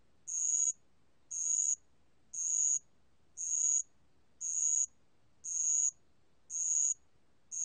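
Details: Bell cricket, from a 2020 national biological resources collection: a regular run of shrill, ringing half-second chirps, about one each second, with nothing else clearly heard.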